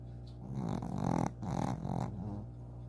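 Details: Eight-year-old pet dog snoring loudly while asleep: low rumbling breaths in two long swells, each about half a second, with a steady low hum beneath.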